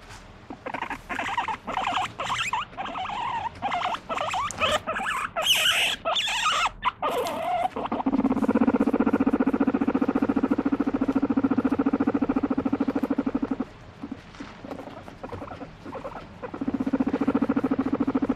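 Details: Pet guinea pig calling out to be stroked, excited and squirming; a series of sharp squeaks and chirps first, then a long, loud, steady pulsed purring buzz that breaks off briefly and resumes near the end.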